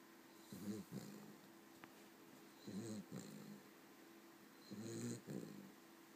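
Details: Abigail, a Cavalier King Charles Spaniel, resting after a long hard day. She gives rhythmic two-part snores, a rough inhale and a brief catch, repeating about every two seconds, with a quiet hum behind.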